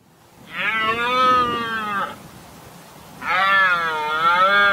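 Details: Red deer stag roaring during the rutting season to intimidate rivals and impress hinds: two long, loud, harmonic-rich bellows, each about one and a half seconds, with a slight wavering pitch and a quiet gap between them.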